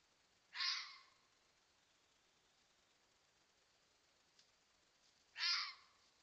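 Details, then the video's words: Fox barking at a coyote: two harsh, raspy, screaming barks, each about half a second long and spaced roughly five seconds apart, over an otherwise quiet background. "FOX BARKING AT COYOTE!"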